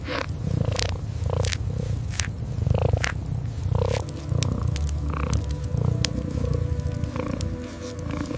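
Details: Kitten sleeping curled up beside a fireplace, purring in a low, deep continuous rumble that swells in rhythmic pulses, with sharp crackles and pops from the fire scattered throughout.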